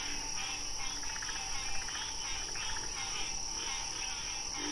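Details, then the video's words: Wild frog chorus of rapid pulsed trills in short bursts that repeat about once a second, with a few faint low notes. Set against a steady hum and a bright hiss. "Frog Sounds"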